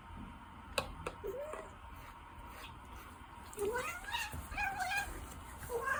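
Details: Several soft meows from a gentle, affectionate Ragdoll cat, each a short upward-bending cry, scattered among clicks and faint room sounds indoors.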